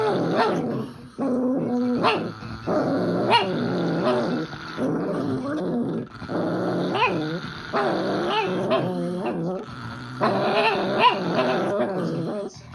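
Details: Tibetan Spaniel and a pug in a grumble session: rolling growly vocalizing broken into bursts of one to two seconds, with wavering, yodel-like pitch bends and occasional sharper yips, fairly steady in loudness throughout.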